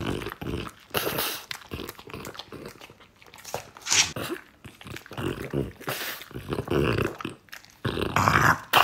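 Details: French Bulldog indoors eating, offered bread, apple and beef: irregular bursts of wet chewing, snuffling and snorting, some rapid, with a quieter pause around the middle and loud munching near the end.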